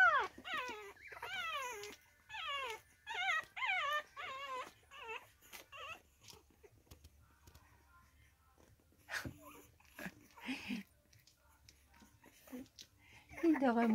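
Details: Whimpering from three-week-old Staffordshire Bull Terrier puppies with their mother, filmed 6 May 2022: a rapid string of high, sliding yelps and whines for several seconds, then quieter shuffling and scattered faint squeaks, with a final whine at the end.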